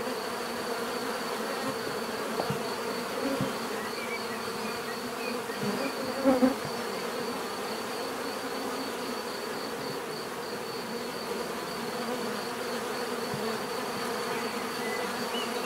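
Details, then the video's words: Bees buzzing in a relaxing natural drone, a steady massed hum of many insects, with a faint high whine throughout, a few soft knocks and a brief louder burst near the middle. "bees therapy relaxing natural buzzing sound"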